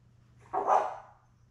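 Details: Newborn Labrador Retriever puppy on a live puppy cam, one of a litter of seven born May 24, 2021 to their mother Belle, filmed June 4: a single short, sharp, tonal yelp lasting about half a second over a steady low hum.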